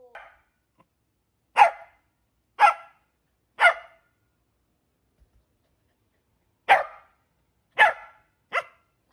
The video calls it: CORGI BARKING SO CUTE